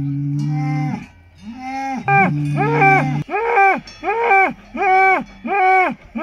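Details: Salers cattle at a show in Pleaux, Cantal, France, 13 August 2022: a few sustained low moos give way to a quick series of short, rising-and-falling calls, roughly five in three seconds.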